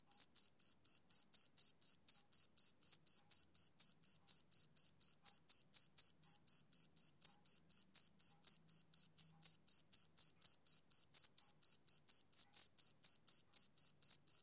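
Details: Steady chirping of a male cricket on a summer evening, a rapid unbroken train of high, bright pulses roughly four per second, continuing evenly through the whole stretch over silent background.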